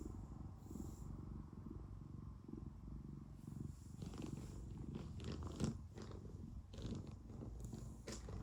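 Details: Cat at home purring loudly and close, a rough low rumble pulsing with each breath, accompanied in the second half by rustling and scratchy movement noises.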